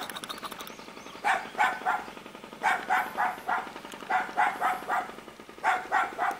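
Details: Puppy in a Korean mountain village at Jeonju, North Jeolla Province, barking steadily in clusters of about three yaps, roughly every one and a half seconds, over a low continuous background hum.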